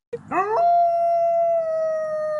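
A Mexican grey wolf howls, sweeping quickly upward and then holding a long, clear, slowly sinking note.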